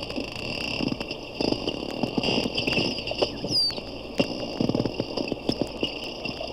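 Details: Probably four porpoises at a Daytona zoo, captured underwater on a hydrophone with one animal at times very close: dense crackling click bursts, low grunting rasps and one sharp falling whistle midway, against steady tonal hum.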